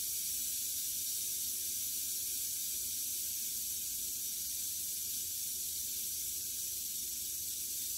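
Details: Captive western diamondback rattlesnake during a mouse kill, its rattle a continuous, even, high-pitched hiss with no pauses across the whole stretch.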